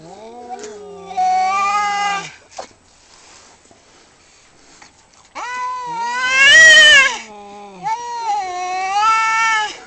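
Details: Male cats in a fight give wavering, warbling yowls separated by short quiet gaps, with a sudden loud, harsh peak in the middle before another undulating drawn-out wail.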